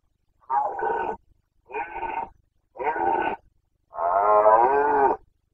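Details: Roaring Carpathian stag in the 2021 breeding season, Bucovina, Romania: three evenly spaced harsh roars followed by a longer, richer bellow with wavering tone, all loud against a silent background.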